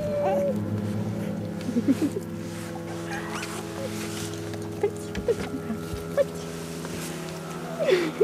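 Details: Four puppies three weeks old give brief high squeaks scattered through the stretch, a few seconds apart, over a steady low hum with soft human talk in the background.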